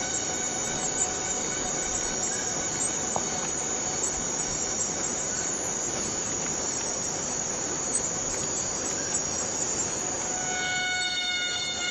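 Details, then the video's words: Cicada calling in Borneo rain forest: an intense, continuous metallic buzz holding steady for the whole stretch, one sharp tick near the middle, and faint whistled tones appearing near the end. "Borneo Rain Forest Cicada - Cicada sound - cicada noise"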